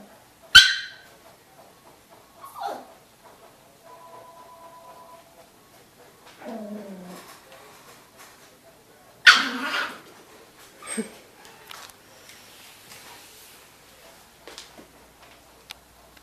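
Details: Dog guarding its house, warning others to stay away: a few sharp, isolated barks spaced several seconds apart, with a drawn-out lower whine between them and quiet background stretches.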